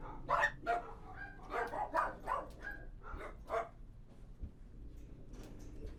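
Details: Kennel interior with dogs barking in short bursts during the first few seconds, then quieter with only scattered knocks and low room noise.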